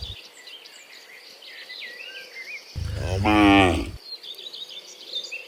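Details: A herd of dozens of cows walking home from the fields to the pen in the afternoon: a single strong, harmonic moo of about a second amid background bird chirps.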